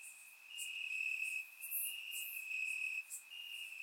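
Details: Night chorus of crickets in summer grass, Bulgaria: one continuous high-pitched trill that swells and fades, topped by short bright chirps from several callers.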